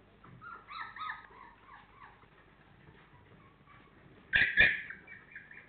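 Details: Four-week-old Labrador Retriever puppies whimpering: a series of thin, wavering squeaks early on, a quieter stretch, then two sharp, loud yelps close together near the end.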